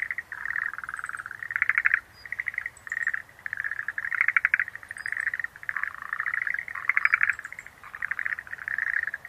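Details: Outdoor chorus of Schlegel's green tree frog: trilled, clicking chirp bursts repeated almost continuously, overlapping and varying in loudness, with a few faint high chirps above.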